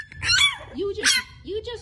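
A French Bulldog puppy gives whiny, rising-and-falling yelps while calling for her mother, with a person talking.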